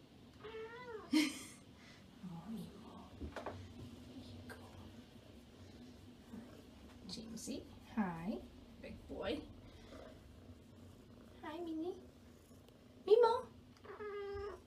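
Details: Pet cats meowing repeatedly indoors, short rising-falling meows scattered every one to three seconds, some strained and high, mixed with a person talking softly to them by name.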